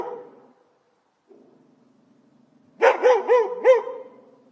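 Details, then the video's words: Dog behind a fence barking angrily. Faint low rumbling comes first, then a quiet pause, then a burst of four loud, bright barks about a quarter second apart. "Dog Barking"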